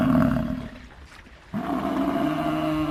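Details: Gaur, the wild bovine also called Indian bison, gives a long, steady, tonal low bellow. It fades after about half a second, then a second sustained bellow with rich harmonics follows, holding an even pitch to the end.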